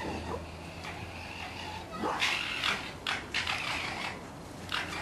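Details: Orphaned red fox cubs kept in a pen, later returned to the wild, give scattered harsh, raspy squeals and short whining yelps, louder after the second second, over a steady low hum.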